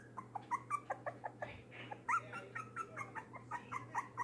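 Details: A three-week-old foster puppy weighing one pound whimpers after being returned to his pen following feeding time. He gives rapid squeaky cries that rise and bend, about two per second, with a constant low hum.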